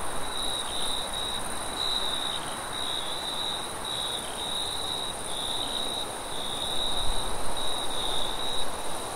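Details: At night, crickets trill steadily in high, pulsing chirps over a low rush of wind.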